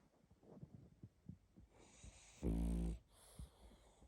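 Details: A sleeping pug snores and snuffles, giving soft low puffs of breath about every half second, then one louder drawn-out nasal snort with a hissy edge, followed by quieter breathing.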